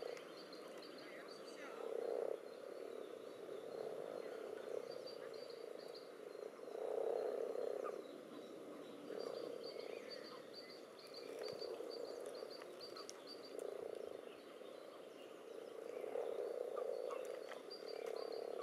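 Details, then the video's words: Spawning pond full of common toads and several frog species pressing against each other in the water: steady low croaking chorus swelling and fading in waves every couple of seconds, with faint high rapid ticking series overhead. "Die unterschiedlichen Rufe sind gut zu hören."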